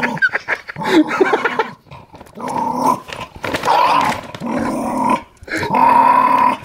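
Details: Jack Russell Terrier defending a dog food bag inside, growling almost continuously with rough, pulsing snarls that swell and fade, broken by a couple of short pauses.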